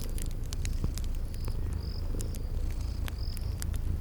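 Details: Purring of sleeping cats by a crackling fire in a spring garden ambience, a continuous deep rumble under frequent fire pops and short high cricket-like chirps recurring about every half second.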